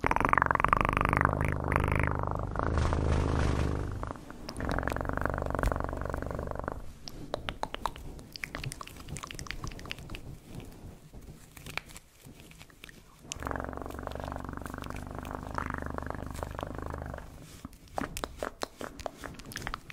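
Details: Cat purring close up in long rumbling stretches, broken by a quieter gap with scattered rustling and tapping noises before the deep purr resumes.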